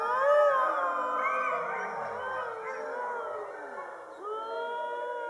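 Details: About 50 Siberian huskies howl together in winter under a full moon after their meal, long, wavering, overlapping tones that slide up and down.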